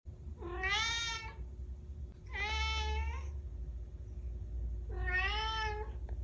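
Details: Kittens meowing indoors: three drawn-out, harmonic-rich meows, each about a second long, rising then falling slightly, spaced roughly two seconds apart, over a low steady hum.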